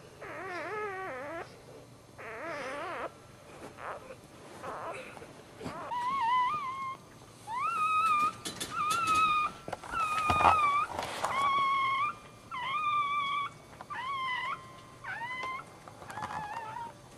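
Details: First newborn Dachshund puppy of the litter, a male, crying just after birth indoors: a run of high, thin whining squeals with rich harmonics. Early cries waver, later ones are steady or sharply rising, each about a second long with short gaps.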